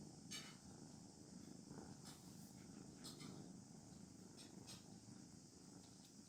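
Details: Kittens feeling satisfied, purring softly: a steady low rumbling drone pulses gently throughout, with a faint constant high hiss and a few light clicks and taps.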